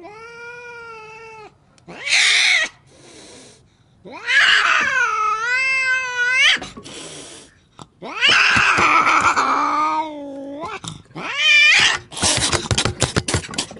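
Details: Angry cats caterwauling loudly: bursts of harsh, strained yowls with wavering pitch, broken by short hissing spits and gaps of quiet, ending in a rapid crackling spat.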